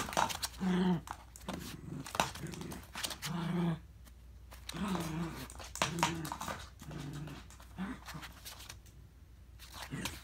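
A Miniature Dachshund gives short, low, voiced bursts in quick succession, with faint human voices nearby.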